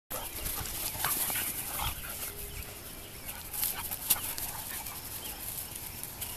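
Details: A 2-year-old female golden retriever mix plays with three young dogs: two 7-month-old male black Lab mixes and a 5-month-old female pointer mix. Rough scuffling and short broadband bursts of play noise continue throughout, with brief sharper yelps around one and four seconds.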